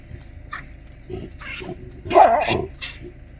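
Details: Baboon troop in Kruger during a dominance display by a large male chasing others: a rapid string of short, harsh barks and squealing cries overlaps, loudest at the midpoint, then a final brief call trails off.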